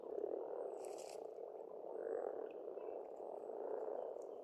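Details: Frogs croaking together at a spring pond on a farmstead in Estonia, a continuous low chorus in slow waves, thin bird whistles and a sharp high note early on.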